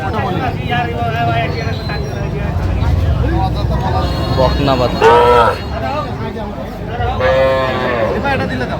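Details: Calves, small bulls and heifers offered for sale at a Bangladeshi cattle market held Saturdays and Tuesdays, 3 August 2025: two short, strained moos about two seconds apart rise above continuous bargaining voices and market bustle.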